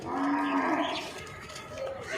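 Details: Nili-Ravi buffalo breeder bulls on a farm in Multan: one low, steady harmonic moo in the first second, then fading into a soft murmur of background noise.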